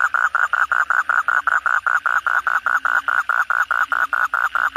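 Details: Asian common toad heard at night following heavy rain, a close caller giving a brisk, regular run of short throaty pulses, roughly five a second, steady in pitch and loudness throughout.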